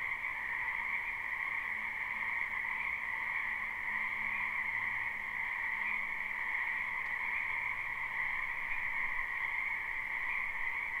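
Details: Spring wetland frogs heard live, with no looping: the croaking of countless callers blends into a continuous shimmering drone, steady in level for the whole stretch. A soft low hum comes and goes underneath.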